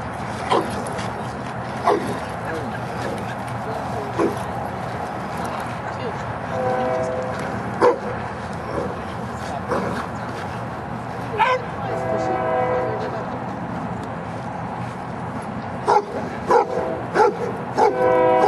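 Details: Giant Schnauzer Luther, almost three years old, during Schutzhund training on 01-13-09; sharp barks scattered through the clip, bunching into quick runs near the end, with people talking throughout.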